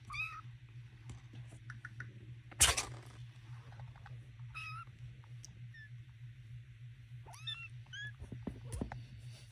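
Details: Young kittens in a box with their calico mother cat, giving thin high rising-falling mews scattered through the clip, several overlapping near the end, over a steady low hum and a sharp knock.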